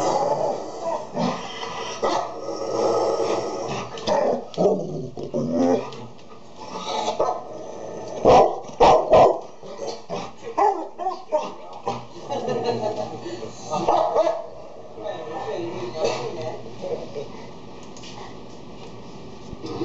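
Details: Playful-sounding exchange between a Golden Retriever and a Labrador as one calms the other: continuous rough growling mixed with frequent short barks and yips, rising into louder clustered bursts.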